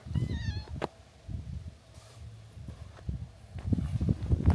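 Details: Stray cats that followed from a hilltop settlement down to a harbor in Japan, close to a fight with the port's cat group; one short, wavering, rising-then-falling meow near the start, then low rumbling outdoor noise and scuffling steps.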